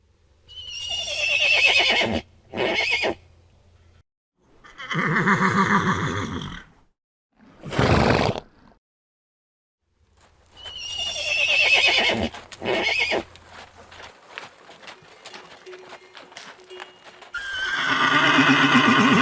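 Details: Horses from a herd neighing, with repeated shaky whinnies of varying length and a few short bursts, and a stretch of crackling noise between calls near the end.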